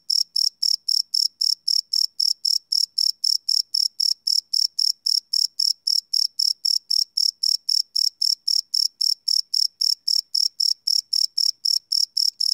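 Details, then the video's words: Night-time cricket chirping captured live with a Sony PCM D100 recorder, a shrill pulsing trill of evenly spaced chirps, roughly three to four each second, running unbroken with silence beneath. "Cricket Chirp Sound - Cricket Sounds at Night"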